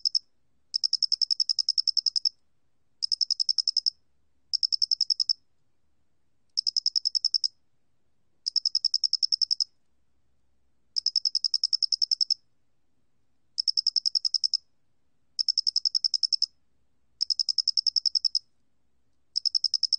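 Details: Loxoblemmus doenitzi cricket recording from the National Institute of Biological Resources, 2020: bursts of rapid, high, clear chirp pulses, each burst lasting about a second, separated by short silent gaps, against a clean silent background.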